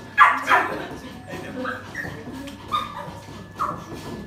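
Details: Biting poodle with a queen-like temperament, filmed indoors during owner training: two sharp barks open, followed by soft, high, short whimpering notes spaced about a second apart over a low hum.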